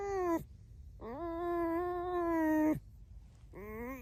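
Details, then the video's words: Domestic red fox squeaking indoors: a short falling squeal, then a long, steady, nasal whine of nearly two seconds that drops at its end, followed by a brief rising squeak. "Лиса-Alice the Fox (Скрипит Без Слов)"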